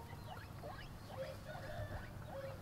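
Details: Guinea pig eating, giving a series of short rising squeaks at a steady pace over a low rumbling background.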